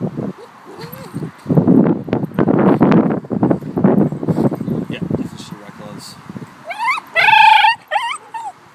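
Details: A 2-year-old cream Shiba Inu, over-excited on being taken to the dog park, gives a high, warbling yodel of excitement after people talk and laugh.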